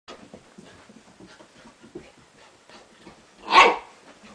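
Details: Four-month-old Corgi puppy barking at its own reflection in a mirror: soft scuffling and faint movement noises, then one sharp, loud, short bark near the end.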